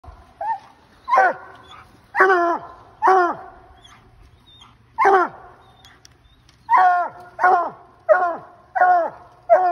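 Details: Ol Blue, a loud Bluetick Coonhound, treeing a raccoon: about ten harmonic, ringing barks in ten seconds, each with a downward-sliding tail. The barks come unevenly, in clusters with short gaps.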